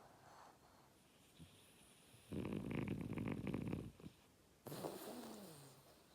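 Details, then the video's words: French Bulldog Oleg asleep, snoring loudly: soft breathing, then a gravelly, vibrating snore of about one and a half seconds, followed by a snuffle with a falling whistly tone. "Французский бульдог - ХРАП."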